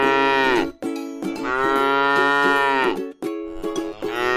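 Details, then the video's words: A tame cow resting in a rice field gives long, drawn-out harmonic moos that bend downward at their ends. The calls come in quick succession over a steady musical backing. "suara sapi lucu jinak yang sedang istirahat"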